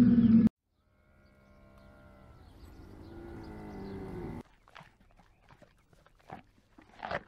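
A dromedary gives a deep, droning groan that swells steadily for about three seconds after a brief loud burst, followed by scattered soft grunts and noises.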